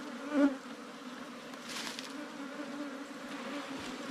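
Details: Small wild ground bees buzzing in their underground cavity nest as honey hunters open it up: an even, continuous mid-pitched drone that holds steady throughout, with a brief knock near the start.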